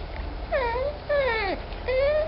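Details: Rare baby African clawless otter, described as unable to decide whether to eat, sleep or sing, giving three drawn-out high squealing cries, the middle one falling steeply, with a faint low hum behind.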